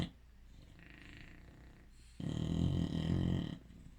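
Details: Sleeping bulldog snoring: quiet low breathing, then a loud rough rumbling snore lasting over a second.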